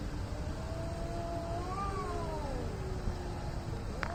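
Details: Angry cat in India before a fight: one long, quiet moaning yowl that slowly climbs then sinks, with a brief click near the end and steady low background noise.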